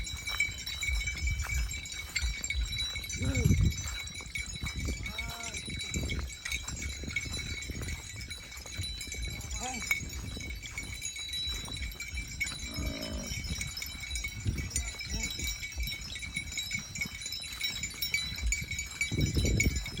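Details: Cattle grazing in the countryside during the rainy season; a few low, drawn-out harmonic calls rise and fall at scattered moments, under a constant high ringing tone and steady low rumbling background noise.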